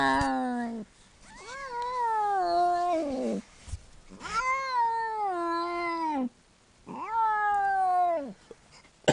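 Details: A one-year-old domestic cat in labour, giving birth to five kittens indoors; three long, loud, drawn-out yowling meows, each sliding slightly down in pitch and lasting two to three seconds, with brief pauses between.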